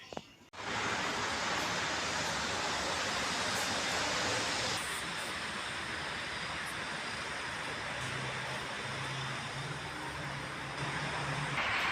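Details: Loud continuous vehicle rumble and hiss, like a moving train or car, dominates throughout with no animal calls.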